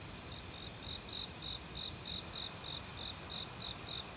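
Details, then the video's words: Autumn cricket in a forest beside a mountain stream, calling amid many other insects: evenly spaced high chirps, about three per second, over a steady rushing of water and a thin, higher insect whine. "가을 귀뚜라미 소리"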